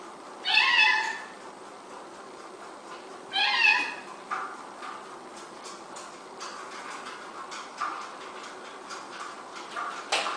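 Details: Domestic cat from a funny cat compilation giving two clear meows, the first near the start and a second about three seconds later, each a short rising-falling wail; quieter clicks and household rustling fill the rest.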